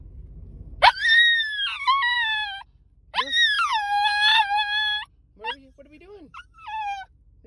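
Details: A tiny Pomsky gives high, drawn-out howls that rise sharply then slide down in wavering notes, excited on arriving at a dog park.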